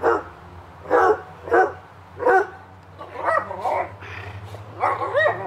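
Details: On a summer afternoon in the backyard, Hubert and Woody play while one barks sharply about once a second, then gives quicker, overlapping woofs and yips over a steady low background hum.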